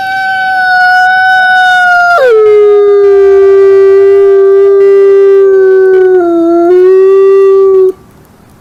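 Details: Wolf gives a long, smooth howl, dropping sharply in pitch after two seconds, then holding a steady, slightly sagging tone with a second voice above, before ending abruptly near eight seconds into quiet.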